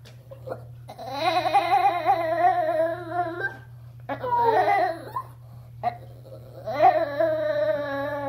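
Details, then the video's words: Pet chihuahua, a female turning eleven, talking at bathtime: long sustained moaning howls in three bouts, each wavering and sliding in pitch like a singing voice, with a steady low hum of the room beneath. "Talking Dog Says Momma"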